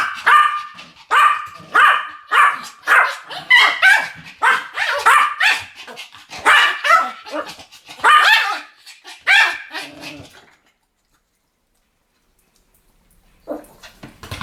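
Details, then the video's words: Pomeranians barking in duet, about a dozen loud, shrill yaps at a steady pace over ten seconds, then silence, with one last faint yelp near the end. "ポメラニアン Pomeranian デュエット吠え 1000回 犬の鳴き声"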